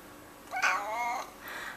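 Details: A 15-year-old male cat meowing along as its owner sings Twinkle Twinkle Little Star indoors: one drawn-out, wavering meow that rises and then slides down, between the sung lines.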